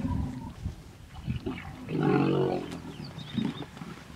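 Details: Hippopotamus in the Vurhami River, Kruger National Park, South Africa, during a stand-off in which a female defends her young against a male; deep pulsing grunts swell into a loud harsh bellow midway, with faint bird chirps above.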